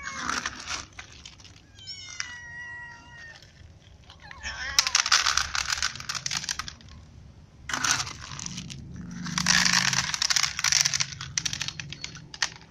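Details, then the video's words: Ginger cat, annoyed because another cat eats all of his food, gives one clear harmonic meow with a slightly falling tone, followed by loud bursts of crunching and chewing as food is eaten nearby. "Ginger cat is annoyed because every food for him is eaten by another cat"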